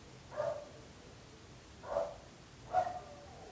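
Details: A dog keeps barking and bothers the neighbours: three evenly spaced, short, mid-pitched barks in three and a half seconds, with quiet hiss between them.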